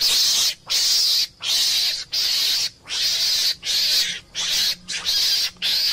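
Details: Meerkat (mongoose) scream sequence: coarse, breathy, high-pitched bursts repeated roughly every seven tenths of a second, each cut off by a clean short gap.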